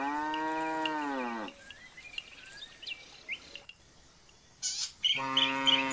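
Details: Jumbo bull's moo: a loud, steady harmonic low bellow lasting about a second and a half, then a pause filled with chirping birds, and a second moo beginning near the end.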